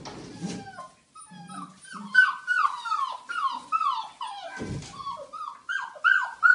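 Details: Playing Belgian Malinois puppies, Rea among her brothers and sisters, trade quick downward-sliding yips and squeaky whines in rapid, uneven runs, with soft thuds and scrabbling between them.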